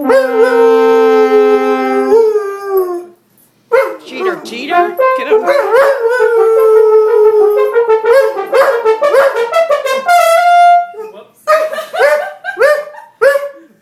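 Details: Poodle singing in a duet with a French horn player, giving wavering, sliding howls over sustained horn notes and phrases; horn and dog voice overlap throughout, with short pauses.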